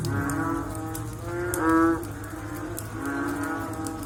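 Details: Frogs calling after rain: a loud, hoarse, moo-like call near the middle. Softer, longer moaning notes from others come before and after it over a low rumble with scattered clicks.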